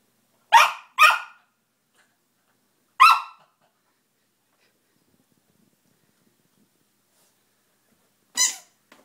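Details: Pet dog barking indoors at a new squeaky toy while working out how it works: four sharp barks, two close together near the start, one after a pause, a last one near the end, with silence between.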